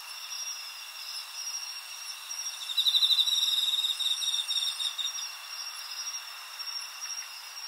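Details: Crickets singing in Japan, field recorded on 20 August 2011 with a Zoom H4n: several high, steady trilling chirps overlap, with a louder pulsed trill rising briefly in the middle, over a constant insect chorus.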